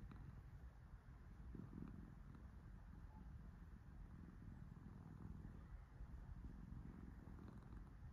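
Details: A relaxed cat purring while being petted: a steady low rumbling purr fills the whole stretch, continuous and even, with no other clear sounds.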